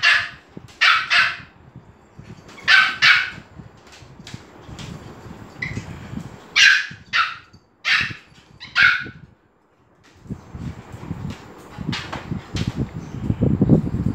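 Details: Several dogs at Phuket Dog Resort bark excitedly as Fendi the Pomeranian arrives: sharp, bright barks come in quick bursts of two or three, then a brief lull and more barking over background rustle.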